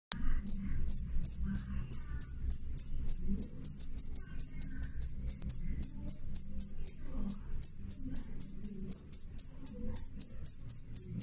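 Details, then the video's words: Clear, loud cricket chirping: bright, high, ringing pulses repeated steadily about four times a second, each with a faint higher overtone, a couple of brief gaps, and a soft low hum underneath. "suara jangkrik jernih keras"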